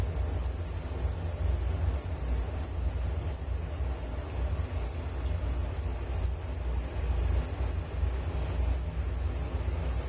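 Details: Continuous cricket chirping offered as relaxing sleep sound: rapid pulsing high-pitched trill at a constant pitch, dense and unbroken for the whole stretch, with low background rumble.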